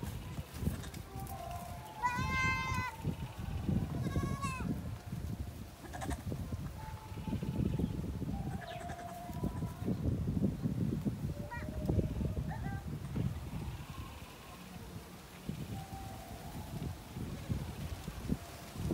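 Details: Goat during mating, two short quavering bleats around the third and fifth seconds, then long stretches of low rumbling noise with only faint, thin tones.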